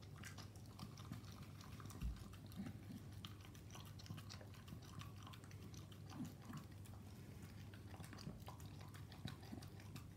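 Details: Staffordshire Bull Terrier eating raw meat mixed with dog food indoors; soft, irregular wet chewing clicks and smacks throughout, with a steady low hum underneath.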